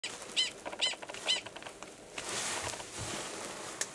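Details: Male Gunnison's prairie dog in Valles Caldera National Preserve, New Mexico, March 2017, giving a mating call before going belowground to mate with an estrous female in a nearby burrow. Three sharp, high chirps about half a second apart, then breezy rustling.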